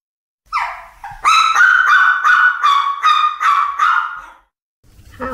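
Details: Female Yorkshire Terrier, four years old, on a December walk at Minami-machida Grandberry Park, Japan. About eight high-pitched, whiny yapping barks in quick succession, roughly three per second, after one short opening yelp.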